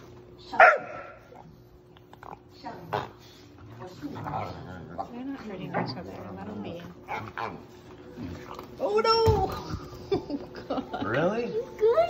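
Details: Puppy during play letting out a sharp yip, then grumbling and a run of rising and falling squeals and barks near the end, with human speech in the background.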